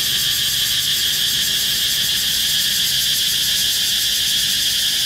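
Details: A cicada perched on the trunk of a red flame tree gives a loud, steady, shrill buzz that holds unbroken from start to finish.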